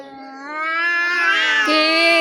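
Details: Domestic cat fighting with an outside cat that attacks the household cats: a loud, drawn-out, harmonic caterwaul rising slowly in pitch and growing louder, with a sudden pitch drop near the end.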